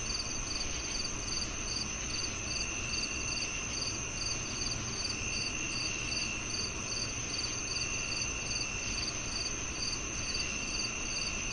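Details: Crickets chirping: short pulsed high chirps repeat about twice a second over a continuous high insect drone and steady broadband hiss.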